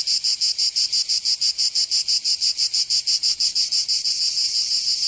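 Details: Provençal summer cicadas giving a piercing high buzz in crisp, evenly spaced throbs about three per second, loud and continuous across the short stretch with nothing else audible.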